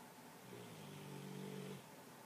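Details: Madison, a female rescue mastiff, sleeps in her new bed and gives a single low, buzzy, rumbling snore lasting just over a second, rising slightly in loudness before cutting off, against a quiet indoor background.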